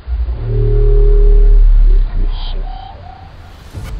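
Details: A Bryde's whale biotwang, first recorded underwater in 2014 near the Mariana Trench: a deep, droning grumble followed by faint, eerily synthetic high-frequency tones.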